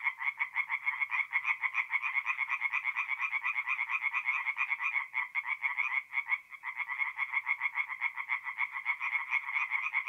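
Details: Several tree frogs singing together by night at a forest pond, north-east Italy, mid-April; fast rattling croaks overlap into a continuous pulsing chorus, with a short lull around the middle before resuming at full strength.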